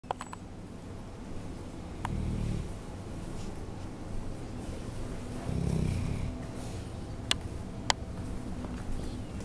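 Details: A 7-year-old female Bloodhound in rescue care snores while sleeping, each deep, rumbling breath coming a few seconds apart.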